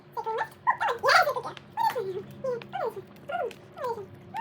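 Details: A pregnant Poodle, fed on the floor where she likes to eat, gives whimpers. A few wavering whines come first, then a series of short descending whimpers about every half second over a faint steady hum.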